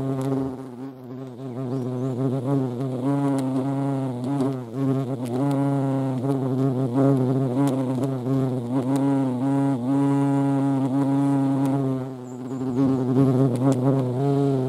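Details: Hornets and ants at a feeding place, Dohr, Eifel, 28 July 2022: a sustained, low-pitched whirring drone with rich overtones, its pitch wavering subtly as the insects hover and shift around.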